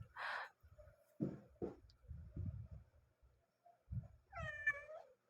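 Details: Domestic cat heard indoors among bumps and handling noises, then a short, rising-falling tonal meow near the end of the recording.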